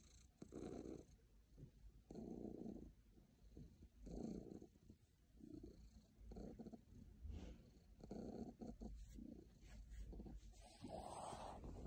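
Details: A happy pet cat purring in slow rhythmic pulses about every one and a half seconds, a deep rumbling drone with a brief brighter noise near the end.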